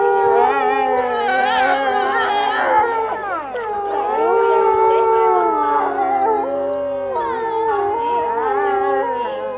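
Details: Captive wolves in a Japanese zoo howl in chorus at closing time on a March afternoon in 2012, set off by the closing announcement; wavering, sliding voices overlap, with swooping rises and falls around a low sustained tone.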